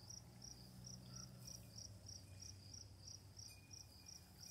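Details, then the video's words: Night crickets keep up an even train of short, high, ringing chirps roughly three each second, while running water and a low hum fill the background. "Crickets, Running Water, Night Sounds"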